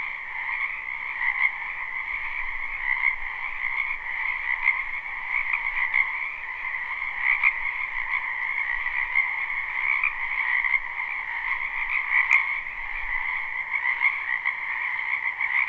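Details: Spring wetland frogs in full chorus, recorded live with no looping: a steady, buzzy trilling mass of many callers, with faint pulses swelling through it and one sharp click near the end.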